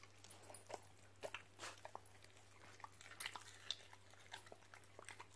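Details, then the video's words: Siberian Husky chewing raw meat and chicken bones given as a reward. Irregular sharp crunches and bone-grinding snaps come in quick bursts, with wet chewing clicks between them and a steady low hum underneath. "Husky Causes HUGE Crunching Sound Noises!"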